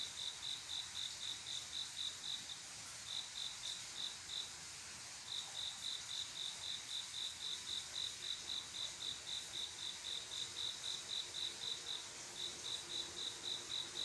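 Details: A male cricket sings a love song to a female at midnight in summer, rapid high chirps about four per second, twice briefly pausing before resuming, set against a dense background buzz of night insects.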